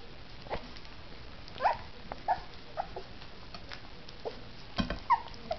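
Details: Pair of three-week-old puppy sisters, raised without their mother, eating mush for the first time: brief thin rising squeaks every second or so between quiet lapping and smacking noises.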